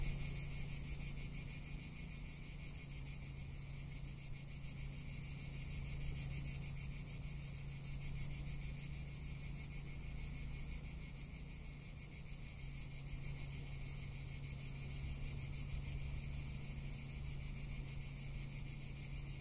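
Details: Cicadas in summer in Tuscany, their call a dense, unbroken high-pitched buzz with a fast pulsing texture that runs steadily for the whole stretch, over a low steady hum.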